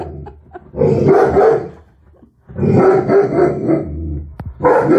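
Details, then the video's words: Alaskan Malamute reacting to a mannequin head indoors: deep, drawn-out woo-like barks and growly vocal bursts in two or three long bouts, with short pauses between them. "Malamute Attacks Mannequin Head"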